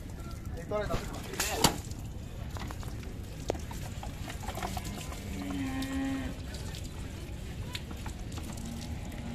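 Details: A large mother cow being bathed and cleaned lets out a single steady, low, drawn-out moo midway, set against continuous rumbling background noise with sharp clatters and faint voices.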